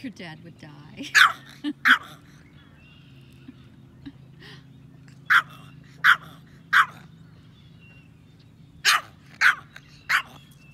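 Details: Pet Yorkshire Terrier that loves to fish, barking crisply and high-pitched in short groups of two or three, with pauses of a few seconds between bursts.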